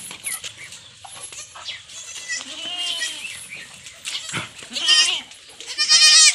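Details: Young goat kids on a farm being given iron injections, voicing several short, wavering, high-pitched bleats in bursts, loudest near the end, over handling clatter and background noise.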